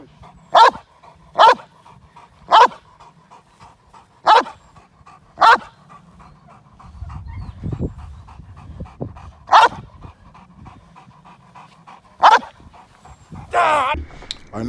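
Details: Male Cane Corso during k9 protection training in London against a moped gang crime scenario, barking in single loud, sharp bursts spaced about one to two seconds apart, with a longer gap, rustling and a noisy burst near the end.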